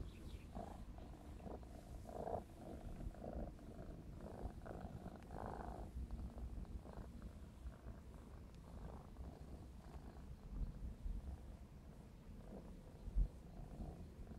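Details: Clarence, a young black smoke Maine Coon of 4½ months, purrs steadily while playing; low vibrating rumble with breathy pulses in regular cycles, occasional soft rustles and a single sharp tap near the end.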